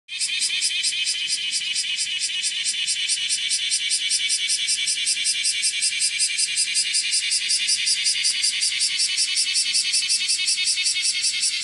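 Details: Kumazemi, a bear cicada (Cryptotympana facialis), shrilling while walking on a room's window screen on 31 July 2018 at 10:03; loud, continuous high-pitched buzzing shrill with a fast pulsing rhythm, steady throughout.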